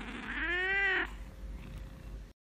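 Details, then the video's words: Fawn, lilac and blue British Longhair cats kept as house pets in France, described as talking cats; a single clear rising-then-falling meow lasting about a second, followed by quiet room noise. "MES CHATS 🐱QUI PARLENT"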